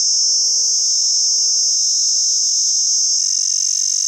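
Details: Beautiful cicada from Pakistan producing a continuous high, hissing drone at constant pitch and loudness, with faint steady lower hum tones underneath that fade out near the end.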